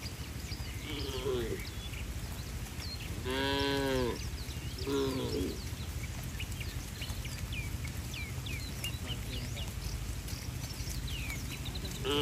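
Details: Tame cattle fleeing the rain toward their barn on a bright day give two moos a second apart, one long and clear and one shorter, followed by quieter outdoor ambience with scattered chirps.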